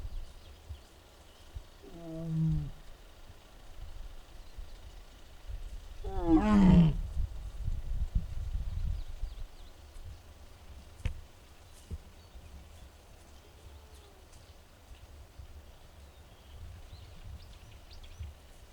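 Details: Mugung, a six-year-old tiger at the Tiger Forest in Bonghwa, South Korea, filmed on 24 April 2026 in the afternoon and described as making strange sounds, possibly unwell; a short harmonic moan near 2 seconds, then a louder rising-falling groan near 6.5 seconds, otherwise quiet.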